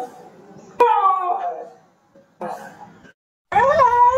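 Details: Pet Siberian husky howling indoors: three drawn-out tonal howls with rich harmonics. The first starts high and slides downward, the second is short and breathy, and the last rises then levels off. Brief silent pauses fall between them.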